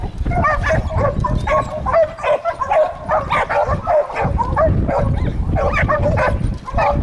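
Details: Catahoula dogs, two of them, treeing a raccoon: dense, overlapping barks and yips repeated rapidly throughout, with strong low rumbling underneath.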